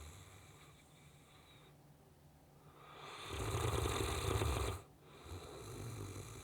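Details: Riki, a Saint Bernard, snoring while asleep: a loud, rough, rumbling inhalation swells for about two seconds, then drops to quieter breathing, with low steady hum beneath.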